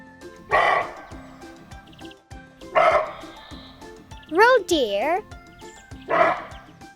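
Three hoarse, harsh barks from a roe deer, spaced a couple of seconds apart, over steady background music with a brief spoken voice between them.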